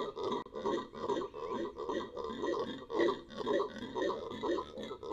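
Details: Venezuelan red howler monkey producing a rhythmic series of hoarse, throaty grunts, roughly two each second, each a rough swelling bark in a steady rolling pattern.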